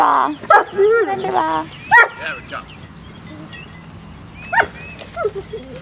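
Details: At playtime, a Biscuit Bentley pup gives a run of wavering, tonal whines and short yelps early on, then quieter squeaks, with people speaking nearby.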